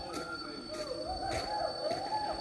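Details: Hoolock gibbons in Lawachara National Park, Bangladesh, give loud, wavering, rising whoops in a repeated series that stops and restarts, with a man talking over them.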